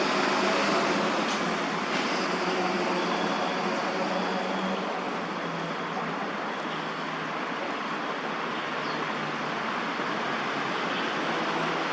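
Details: Steady broadband traffic and city noise throughout, with no clear animal calls.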